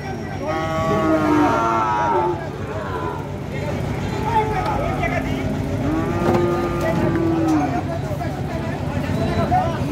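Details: Cattle being unloaded from a mini truck at Gabtoli, with a drawn-out harmonic moo early on and further lowing around six seconds, over a constant engine rumble and background voices.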